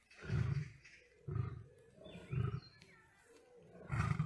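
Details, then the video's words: Lion in a fight with a tiger, giving four deep, booming grunts spaced about one to one and a half seconds apart, low and resonant, with faint background sounds between them. "Lion vs Tiger full battle HD original sound"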